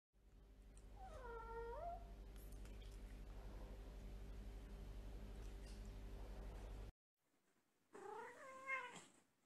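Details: Birman cat meowing indoors: a drawn-out, bending meow early on over a steady low electrical hum, then silence, then a louder, wavering meow with a rising-falling contour near the end.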